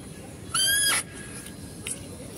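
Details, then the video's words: Female deer calling at a zoo as a male deer is fed nearby: one loud, half-second, high squeal rising in pitch with strong harmonics, followed by a faint short sound and quiet outdoor background. "mendengarkan suara rusa betina"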